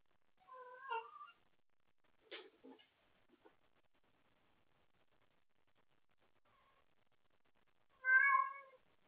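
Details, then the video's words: Pet cat awake late at night after playing with toys, calling for a playmate: a short meow, a few soft clicks and taps, a long quiet gap, then a louder, clear meow. "Wendy wants to play late at night!"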